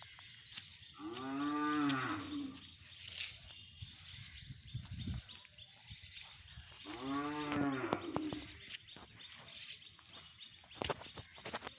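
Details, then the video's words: Aggressive black Hallikar bull giving two long moos about six seconds apart, each a low harmonic call swelling and fading, with rustling and thumps from the surroundings in between. "aggressive Hallikar race bull"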